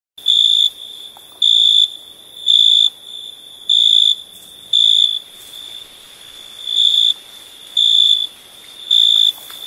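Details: At night, a cricket gives steady, high, ringing chirps, each about half a second long, roughly once a second.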